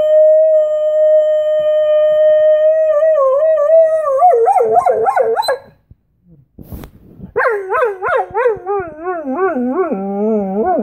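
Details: A Czechoslovakian wolfdog howls in northern Italy, a long steady tone breaking into wavering, yodelling pitch swings.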